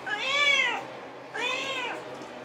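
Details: Pet house cat, male, described as jealous of his feline housemate, meowing indoors: two drawn-out, rising-then-falling meows, each about three quarters of a second, clear harmonic tone, half a second apart, quiet room.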